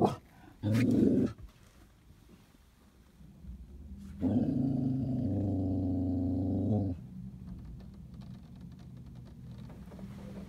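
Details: Irish Terrier during a car wash giving a brief snarl, then a long, steady, throaty growl lasting nearly three seconds, with low mechanical rumble continuing afterward.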